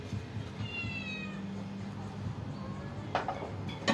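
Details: While waiting to be fed, a cat gives a thin, falling meow early on and a fainter one later, followed by clicks and taps against a low droning background.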